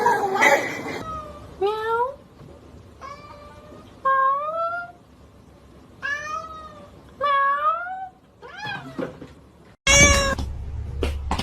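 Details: Domestic cat meowing in a series of about seven clear, drawn-out meows, each sliding upward in pitch, with short pauses between; a burst of noise and music opens the sequence and a loud clatter closes it.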